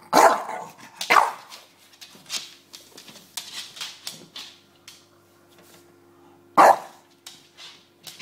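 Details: Bulldog named James barking indoors while playing with his pillow; sharp loud barks near the start and again after six seconds, with softer scuffling and snorting between them and a faint steady hum behind.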